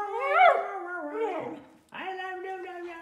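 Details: Domestic Samoyed, a medium-size three-year-old female, howling indoors on her birthday: a rising then gliding tonal howl with rich harmonics, a short pause, then a steadier sustained wavering howl.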